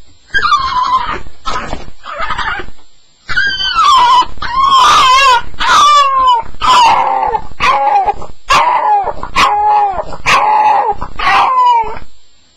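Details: Staffordshire Bull Terrier during a nightmare on its first night: a steady run of loud, high whimpering yelps, each sliding downward, repeated about once a second.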